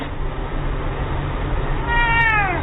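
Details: Domestic cat giving one drawn-out meow that slides downward in pitch near the end. It rises over a steady, low, rumbling background hiss.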